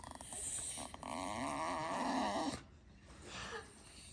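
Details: Staffordshire Bull Terrier in Alaska, one of a pair of older pets, Piper (a talkative 10.5-year-old female) and Taz (12 years), begging for toys indoors: a wavering, warbling moan-like vocalisation for about two and a half seconds, then fading, with a person talking nearby.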